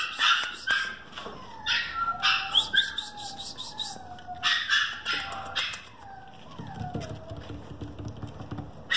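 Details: A male parti-coloured red French Bulldog with international pedigree whines and yips in a run of high, falling, squeaky notes.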